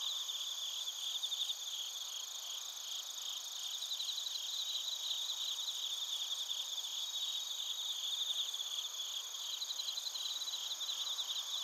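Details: Crickets singing in Narita, Chiba Prefecture, Japan, taken with a TASCAM Portacapture X8: a soft, even wall of high-pitched trills from many insects, rippling pulses drifting in and out throughout.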